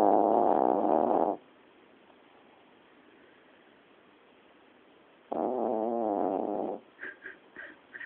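A Yorkshire terrier snores in loud, rough, rattling breaths separated by a long quiet pause.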